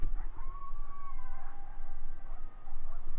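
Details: A distant pack of coyotes howls at night in the quiet town of Marion, Kansas, in thin, wavering wails sliding up and down, sounding like screaming children.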